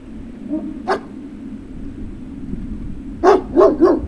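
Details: At Puppy Hill on 03-06-2019, a Great Dane puppy lets out one isolated bark, then after a quiet pause three quick barks in a row over a steady low background hum.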